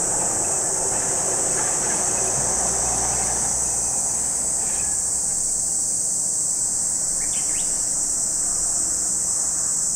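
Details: At Lake Kamo in Sado City, Niigata Prefecture, Japan, cicadas keep up a constant high buzzing hiss, while a low rumbling noise fills the first four seconds and a quick bird call sounds near seven and a half seconds.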